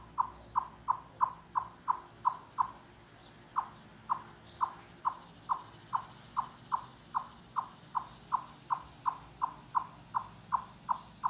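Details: Chipmunks calling in a forest, loud cluck or knock-on-wood notes said to carry hundreds of yards, made with full body effort; sharp short clucks repeated about every third of a second in a long steady series, one brief pause near the start.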